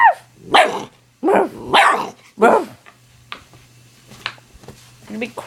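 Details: American Pit Bull Terrier puppy, nine weeks old, trading barks with its owner: several rough, gruff barks in a row, then quieter yips and a man's voice, over a low steady hum.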